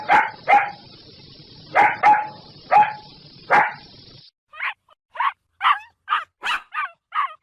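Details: Loud, deep barks from large dogs, doubled barks over a constant humming background, then a quicker series of sharper, higher barks repeated about every half second.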